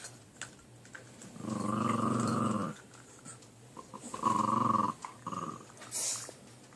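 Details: Puppies squabbling over a chew inside a small room: two sustained low rumbling growls about a second each, separated by a pause, followed by a shorter growl and a faint click.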